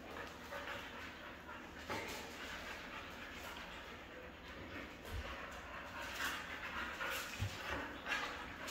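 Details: Red female Siberian husky panting steadily in quick, breathy bursts, with soft whining mixed in and a few low thumps near the end.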